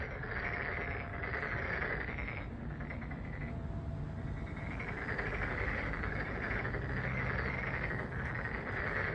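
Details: A dense chorus of frogs at Deokjin Park in Jeonju, South Korea, gives overlapping, rapid croaking trills that swell and fade in waves.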